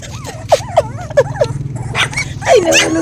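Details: Hungry puppies of the dog Zoey crying: a run of short, high, wavering whimpers and yips, about four within a second and a half, then louder, rising squeals, with people talking and laughing over them.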